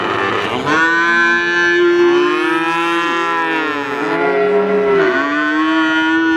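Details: Calves bawling almost without pause, several drawn-out, slightly wavering moos overlapping one another, strong and tonal throughout.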